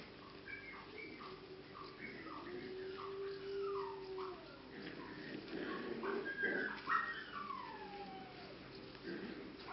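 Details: English cocker spaniel puppies, six and seven weeks old, at the z Blatova kennel in the Czech Republic, giving high thin whines and yips that slide downward in quick irregular bursts over a steady low hum.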